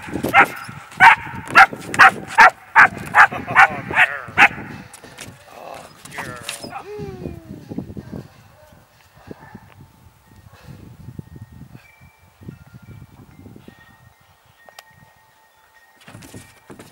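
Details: Two 3-month-old German Shepherd pups training as potential police K9s bark in a steady series of about ten sharp barks, then fall to softer whines and scattered quiet sounds.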